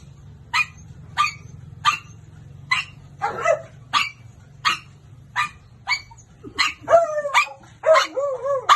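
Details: Domestic dog barking in a steady run of sharp barks about once every 0.7 seconds, ending in a few higher, whining, yelping barks over a faint low hum.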